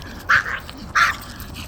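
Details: Puppies playing with a ball: two sharp, high, short yelping barks about two-thirds of a second apart, over a quiet room background.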